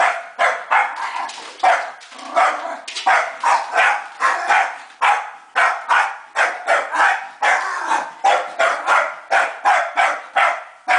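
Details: Scottish Terrier barking while attacking a vacuum cleaner: a fast, nearly unbroken run of sharp, rough barks, well over one per second, some doubled, with hardly any pause across the stretch.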